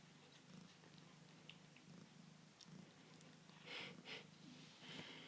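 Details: Foster kitten purring indoors during a live stream; a low, steady rumbling purr runs throughout with soft rhythmic pulses, broken by a few brief clicks and rustles near the end.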